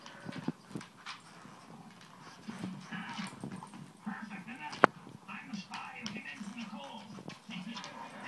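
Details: Pet Siberian Husky named Raph, goofily chasing his tail for almost a whole minute indoors, gives low moaning grumbles in a run of short rising-and-falling arcs, with rustling, a sharp knock and a person's voice nearby.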